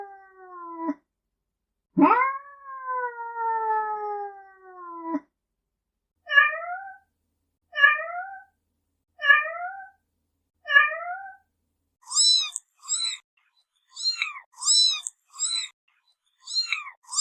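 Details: Assorted domestic cat meows that other cats react to: a long descending meow, then a series of short clipped upward mews about every second and a half, ending in a rapid run of very high, thin squeaky mews.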